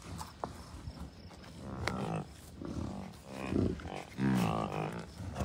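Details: Herd of bison cows, few bulls and dozens of calves, Rocky Mountain Arsenal Wildlife Refuge, Commerce City, Colorado, June 2, 2022; rapid, irregular low harmonic grunts and drawn-out bawls from several animals, growing louder toward the end, with wind.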